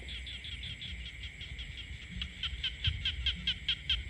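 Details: Croaking frogs in rural countryside, giving evenly spaced clicking pulses about two to three per second that grow louder toward the end, over a continuous shrill drone.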